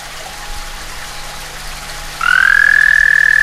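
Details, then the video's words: Summer mating call of a frog visiting a back stoop: after two seconds of low background hum, a high trill starts with a quick upward slide and then holds steady. "Frog mating call"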